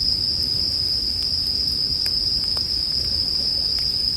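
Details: Bell crickets sing in a steady, high, ringing drone that never pauses, set against the soft pops and snaps of a crackling bonfire and a low rumbling background.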